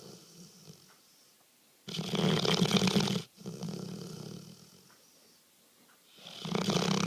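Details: Sleeping pet dog snoring heavily indoors: loud rasping breaths in long bursts of about a second, separated by quieter wheezy exhalations and short pauses, in a small room.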